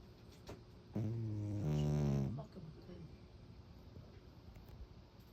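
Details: Domestic cat snoring loudly: one deep, buzzy, harmonic snore lasting about a second and a half, rising slightly in its second half, followed by softer breathy rasps against low background noise.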